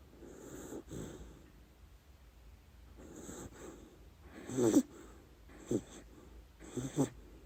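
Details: Sleeping pet dachshund Lady Ruby snoring through her dreams, giving a series of raspy wheezing breaths: soft at first, then a louder rattling snore in the middle and several sharper snorts toward the end.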